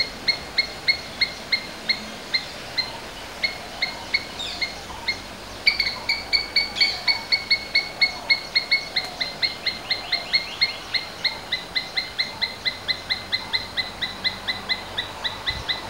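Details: A domestic Asian palm squirrel gives a long run of sharp, high chips, several each second; Indian palm squirrel.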